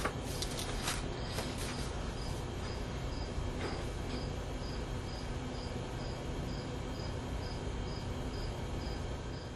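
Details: Two male Gryllus pennsylvanicus fighting, one contest in a study of male weaponry in crickets. Faint high chirps repeat about twice a second over a steady low hum, with scraping clicks and rustles near the start.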